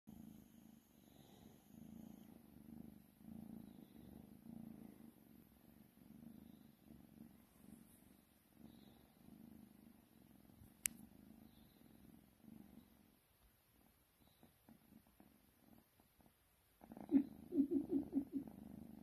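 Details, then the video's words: A domestic cat purring while cuddling: a steady, low rumbling purr runs for about twelve seconds, fades to near silence, then returns louder with a few sharp rustles near the end. "Little cuddle bug purring"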